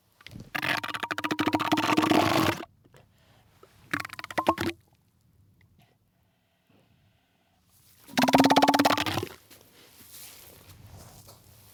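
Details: Three bursts of harsh, rapidly pulsed vocalising from an elephant seal, a long two-second rattle, a shorter one, then a final one-second bellow, separated by quiet gaps.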